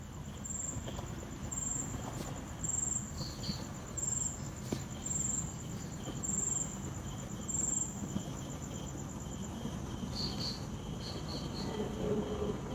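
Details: Crickets at night, a high, thin chirping trill in pulsed bursts about once a second for the first ten seconds, then a few fainter, higher chirps, over a steady low rumble.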